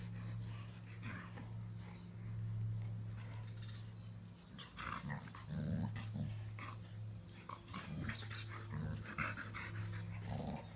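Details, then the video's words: Two Cane Corso sisters, blue tigrato Inga and Laima, playing together: low rumbling growls come in bursts, strongest in the middle, mixed with scuffling and short clicks over a steady low hum. "Blue tigrato cane corso Inga and her sis laima playing"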